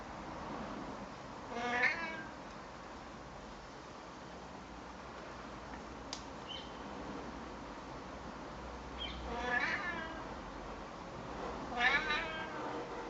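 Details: A friendly, talkative male Siamese cat, a neighbour's pet, meowing back while a person talks to him: three drawn-out, wavering harmonic meows near the start, middle and end, with quiet stretches between and a faint click.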